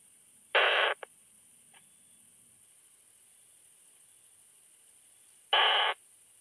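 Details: Isophya pienensis bush-cricket recorded at Hainburg, Austria, on 30 July 2021 through a Pettersson D 100 ultrasound detector: two short, raspy buzzing bursts about five seconds apart over a steady high electronic hiss.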